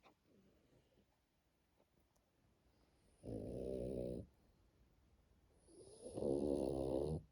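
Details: French Bulldog named Matilda sleeping indoors at home, snoring in two long rasping breaths, each about a second, the second louder, separated by quiet pauses.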